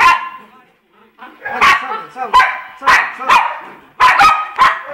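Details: Poodles Jayme, the larger, and Lendonn, the smaller, a husband-and-wife pair: after a brief quiet start, about seven sharp, harmonic barks burst out in uneven succession.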